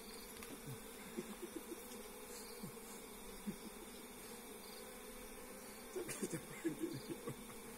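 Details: Low, continuous drone of wild forest honey bees during a bare-handed hive harvest, overlaid by scattered soft knocks and a brief burst of handling noise toward the end.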